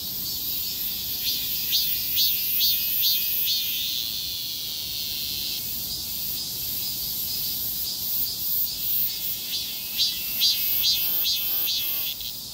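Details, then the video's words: Cicada street chorus in scorching heat: steady high buzzing with repeated pulsed swells around two per second, a louder burst of rapid ticking rasps near the end, quiet low background noise. "폭염속 매미들의 거리합창"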